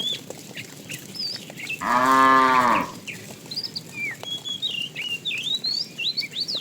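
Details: Tame cattle being herded each morning to grassy pasture; a single arched moo of about one second, quieter and slightly distant, surrounded by bright chirping and whistling birds.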